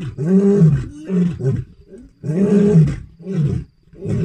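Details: Lions roaring at night around a lodge: deep, moaning roars that rise and fall, broken by short pauses, with grunting bursts in between.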